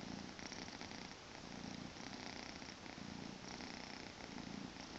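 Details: Two-month-old Maine Coon kitten named Tommy purring on a weekend morning, a continuous low vibrating rumble pulsing roughly once a second as it alternates between in-breath and out-breath, quiet and close.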